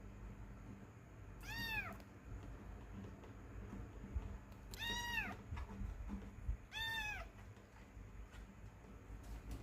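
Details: Indoors, a domestic cat gives three clear, high, slightly falling meows spaced about three seconds apart, with soft rustling and a low hum between them.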